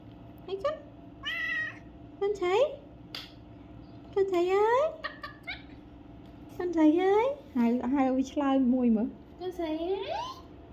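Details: Domestic cat, one of four having their ears cleaned indoors during a grooming session, giving rising, drawn-out meows in several bursts, some upward-sweeping and wavering, with people talking over and between them in a small room.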